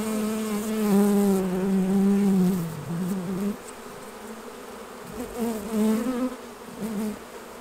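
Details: Buzzing honey bee close by at the hives while honey is being taken off, a loud low drone that wavers and dips in pitch for nearly three seconds, then softer uneven buzzing returns in short bursts.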